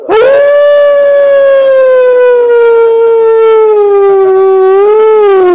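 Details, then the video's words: Hound dog howling at wolves, giving one unbroken howl over five seconds: a quick upward swoop, then a long slow downward glide with a slight lift near the end before stopping abruptly. "Hound dog howling at wolves"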